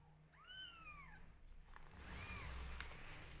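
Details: Newborn kittens crying while being groomed by their mother cat: a clear, high, bowed mew, then a softer, shorter second mew about a second later, against steady background hum and soft handling noises.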